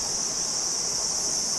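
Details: Continuous high, shrill cricket trill, even and unbroken across the whole short stretch, with no pauses or other sounds standing out.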